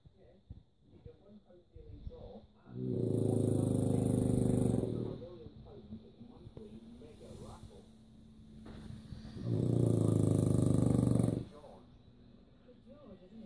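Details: Sleeping French Bulldog snoring, said to sound like a pig: two long, deep, droning snores several seconds apart, with softer snuffling breaths and a faint steady hum between them.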